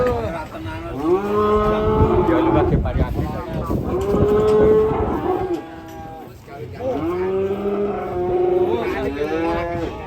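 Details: Angry cattle lowing almost without pause: three long, strained moos in close succession, steady in pitch, over a rumble of background noise.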